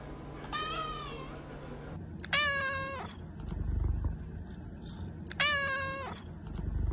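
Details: Debbie, a calico cat with extra toes, gives long whiny meows roughly every two seconds indoors, some with a sharp start, over low rumbling background noise.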